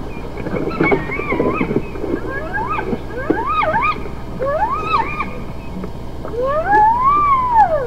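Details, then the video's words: Hyena vocalizations as a rapid series of short arching calls, each rising then falling in pitch, repeated several times a second, ending in one longer, louder arched note. Low rumbling noise runs underneath. "Hyenas some vocalizations collection 1"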